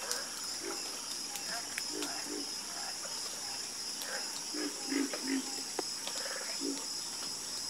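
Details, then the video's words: Several frogs croak together in a soothing chorus, giving low, knocking pulses in quick, irregular bursts, about three per second at peaks. A constant high shrill buzz fills the background. "Calming Sound Of Harmonious Frog Croaking"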